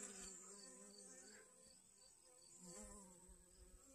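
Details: Honey bee collecting pollen from sunflowers in a garden on August 25th 2021; a steady, droning buzz with a rich stack of overtones holds through the whole clip, joined by a thin, constant high whine.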